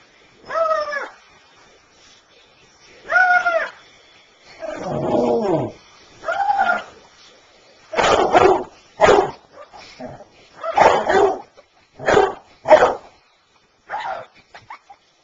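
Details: A 5-year-old female basset hound battles a stuffed toy puppy on September 23, 2007, giving a few drawn-out, bending whines, then a run of rough, gruff barks.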